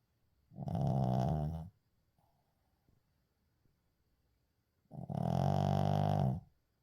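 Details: Uijung, a pet Shih Tzu, snoring in deep sleep: two long, harsh, throaty snores lasting over a second each, with a quiet gap of about three seconds between them and faint breathing.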